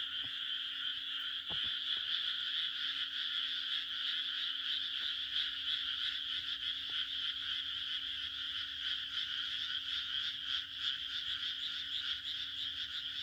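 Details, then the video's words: Countryside frogs in Japan calling through a June night, their overlapping croaks blending into a constant high, rapidly pulsed drone; a couple of soft clicks early on and a faint steady low hum. "日本の田舎の６月の夜 蛙の鳴き声 A June night in the countryside of Japan, the croaking of frogs"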